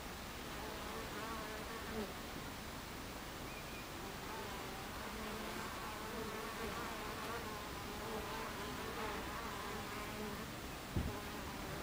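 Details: Bees crowding a hive entrance, recorded 26 July 2013 at 14:30: a constant droning hum of many wings, with individual passing bees adding wavering tones and a sharp knock near the end.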